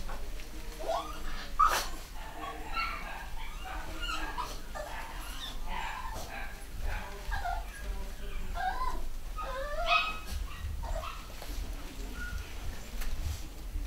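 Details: Litter of 3/4 Schnauzer puppies, boys and girls, home bred in the UK in 2015: many overlapping high whimpers, yips and squeaky whines, rising and falling, constant chatter from several pups with some low background noise.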